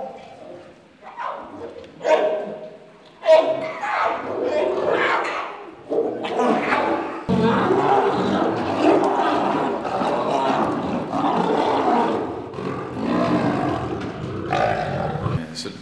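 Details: Lions clash in the lion enclosure at Kristiansand Dyrepark, Norway, in August 2008, when the adult male is first let in with the cubs and the females defend hard. Harsh growling bursts build into sustained, loud, rasping snarls and roars.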